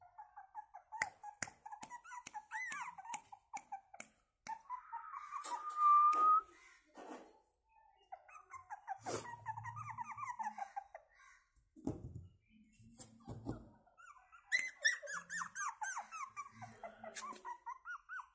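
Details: Indoor recording of a Pomeranian puppy from Gurugram making many short, high squeaky whines in quick irregular bursts, with one longer rising whine, mixed with clicks and handling noises.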